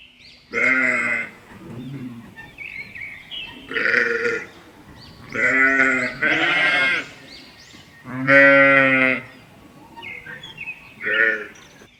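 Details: Sheep bleating in a series of five loud, wavering, strongly harmonic bleats about one to two seconds apart, with softer, lower bleats in between.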